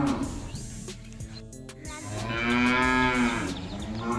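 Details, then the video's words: A village cow gives a long, drawn-out moo with rich harmonics, rising slightly and then falling away. "Village Cows Sound Effect- Cow Mooing"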